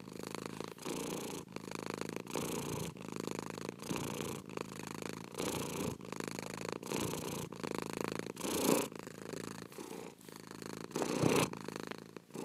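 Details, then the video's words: Continuous cat purr, a vibrating low buzz rising and falling with each breath about once a second, with two slightly louder breaths toward the end. "PURRING CAT"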